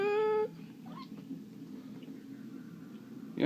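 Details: Bengal cat Simba, at play, gives a short, steady, flat-pitched meow lasting about half a second, followed by a quiet low hum and faint distant voices.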